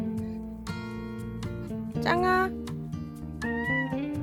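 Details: Domestic cat that has cried like a baby since kittenhood, meowing until the door is opened: two drawn-out, bending meows over steady background music.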